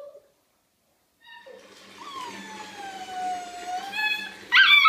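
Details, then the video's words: Small Munsterlander puppy, female, vocalizing while her owner bathes, described as annoying but sweet: a drawn-out, wavering howl-like whine sliding slowly downward, with a faint low hum beneath and a sharp noise at the end. "Relaxing bath with my talking puppy"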